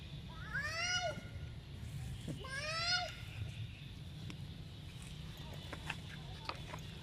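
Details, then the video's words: Monkeys fighting as Baby Polino and Jack mistreat Sweetpea. Two loud, arched, harmonic squealing cries come about a second apart, each rising then falling, followed by faint clicks over a steady low hum. "Monkey Fighting"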